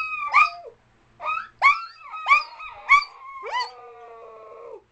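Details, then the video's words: Dog giving a run of short rising yelps about every half second, ending in a long drawn-out howl that slowly falls in pitch. "Dog Howler"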